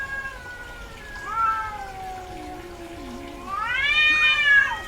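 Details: In heat, a female domestic cat utters a short rising-falling meow, then a louder, longer wailing meow arching up and down near the end, with a quieter low warble between.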